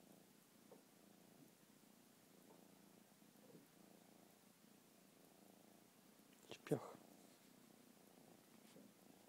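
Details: Petted lemur at an allotment, settling down to sleep under stroking hands; soft continuous low purring throughout, broken near the end by a brief sharp rustle or click.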